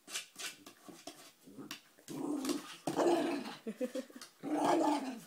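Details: Puppy vocalizing at his treat in a small room, mixing scattered short grumbles with three longer, louder moaning growls toward the end; a man urges him to just grab it.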